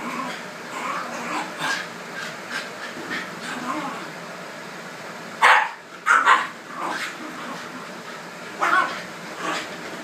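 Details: Shiba Inus Videl and Rebel fight for control of the red couch at home. A few sharp barks burst out in a cluster midway and again near the end, over steady room hum with talking.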